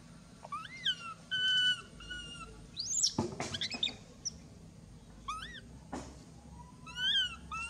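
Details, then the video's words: Baby monkey Mila crying loudly while its mother bites and mistreats it; a run of high, arching, wailing cries, some rising then falling, rich in overtones, broken by sharp scuffling clatters near the middle and again later. "The crazy mother monkey bite and mistreat poor baby Mila, Mila very crying loudly"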